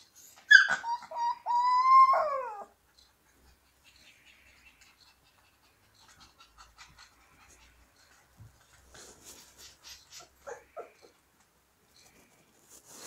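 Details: Siberian Husky puppies singing: one loud wavering howl near the start, held and bending in pitch for about two seconds, then quiet with scattered short whines, squeaks and faint rustling.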